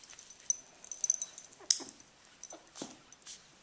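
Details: Two-week-old puppies indoors, recorded in spring 2012, giving scattered soft whimpers and short high yips, irregular and thin, with quiet handling noises in between.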